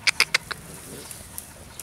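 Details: Rottweiler puppies playing with rosemary give four quick, high squeaky yips in a rapid burst, then fall quiet.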